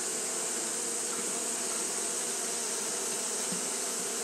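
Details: Steady, unbroken buzzing of Japanese honey bees fanning through a hot day: a low, even drone layered under continuous high hiss.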